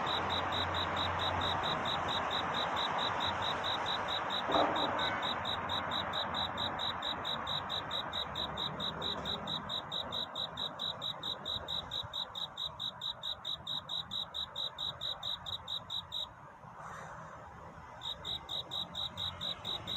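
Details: Courtship song of a cricket on a night toward dawn, a steady train of bright, high chirps at about three per second, with a dense murmur beneath that fades, and a brief pause near the end.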